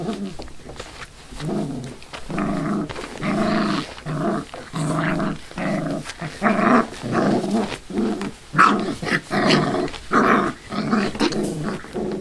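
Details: Five-week-old Labrador/hound mix rescue puppies vocalizing indoors, a steady run of short harmonic growly yips and whines, about seventy-five a minute, overlapping as several pups call at once.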